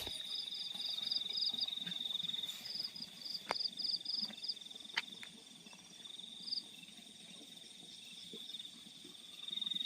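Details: Field crickets at night give a sustained high trill with short pulsed chirp series early on, broken by a few sharp clicks and faint low sounds, fading softer midway then rising again.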